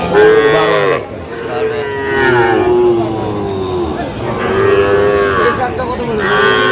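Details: Sahiwal bull calves at a cattle market in Jamalpur, Bangladesh, on 31 August 2025, where farmers are buying. Loud, drawn-out, tonal moos repeat about every two seconds over steady crowd murmur.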